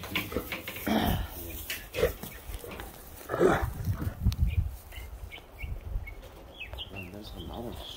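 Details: A female Great Dane gives eager, uneven whines and low huffing grunts in short bursts while greeting a returning visitor at a reunion, with people talking over the sounds in some wind.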